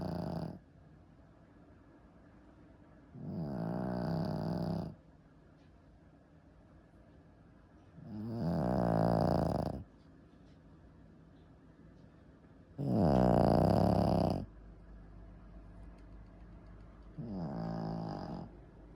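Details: Shih Tzu dog snoring steadily indoors: five raspy, rumbling snores spaced about four to five seconds apart, each swelling and fading over a second or two.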